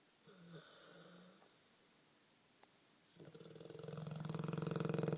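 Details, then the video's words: Bruno, a pet Olde English Bulldogge, snoring like a man: a few soft muffled sounds, a quiet pause, then a loud rattling, fluttering snore with a deep buzzy drone that swells steadily louder. "Bruno the Olde English Bulldog Snores like a Man"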